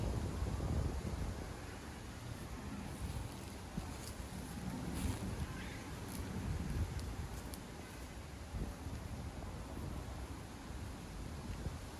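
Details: Steady low wind rumble and distant engine noise, with no animal voice heard.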